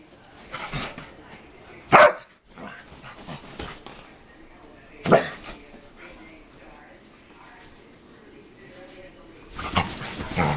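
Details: Playful dogs making funny noises: two sharp barks about three seconds apart, softer grumbling and scuffling between them, and a noisy burst of play sounds at the end, with speech faintly present.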